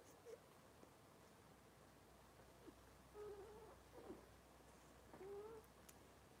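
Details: Robin's litter of Cavalier King Charles Spaniel puppies, indoors on a kitchen camera live stream: a short squeak, then two drawn-out, slightly wavering high whimpers, soft against a steady low room hum.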